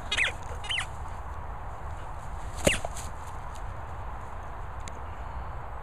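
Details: Border Collie puppies Pippin and Sam give a pair of quick, high-pitched arched squeaks at the start, then a single sharper squeak a couple of seconds later, against low constant room noise.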